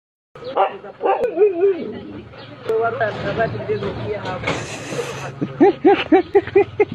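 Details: Pit bull showing jealousy while another dog is petted: a man talks in Arabic at first, then a run of about seven quick, evenly spaced short barks or yips closes the recording.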